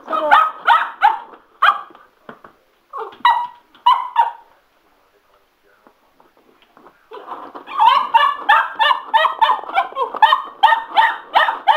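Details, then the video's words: Sugar, a Cocker Spaniel going a little nuts over a spin mop: short clusters of yapping barks, a quiet pause, then a rapid run of barks, about three per second. "Sugar My Cocker Spaniel loves The Spin Mop"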